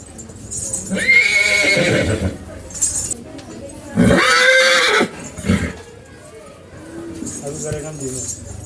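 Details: An excited horse in a playful mood calls again and again: two strong, shaky whinnies about three seconds apart, each roughly a second long, with people talking around it.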